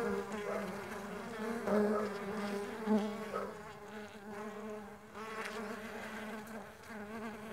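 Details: Mandaçaia stingless bees flying, their wings making a steady droning buzz near 200 with stacked harmonics, swelling and fading as individuals pass close, with a few brief louder surges.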